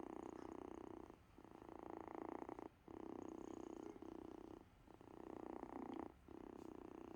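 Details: Invincible Vince, a sick kitten, purrs on a couch: a steady, low rumbling purr in long stretches, interrupted by short breaks at each breath, close and clear.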